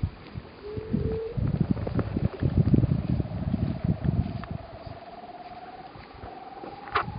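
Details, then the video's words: Weddell seal making sounds while sleeping on Ronge Island, Antarctica: a brief steady tone, then a long pulsed whistle that climbs slowly and evenly over several seconds, above low rumbling noise. "Weddell Seal makes sounds while sleeping"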